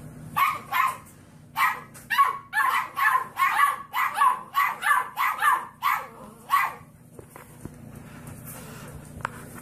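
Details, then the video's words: A puppy barks in a rapid, steady series of about fourteen short, gruff barks over six seconds, then falls quiet over a low background hum. "Funny Puppies Barking Compilation"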